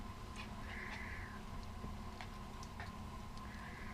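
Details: Newly acquired, energetic Shiba Inu puppy playfully biting an arm and shirt, giving two high, drawn-out whining cries, one near the start and one at the end, over a steady low rumble and a person's voice.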